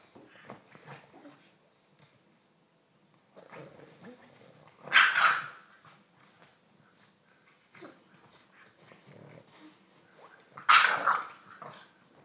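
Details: Three-month-old English bulldog puppy, described as crazy, gives two sharp, loud barks about six seconds apart, with soft snuffling and low grumbles in the quiet stretches between.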